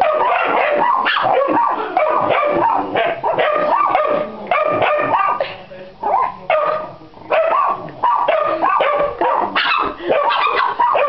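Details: Pit Bull x Yorkshire Terrier mix dog barking in quick, irregular bursts of high, sharp barks and yips that run almost without pause, with a few brief lulls between volleys.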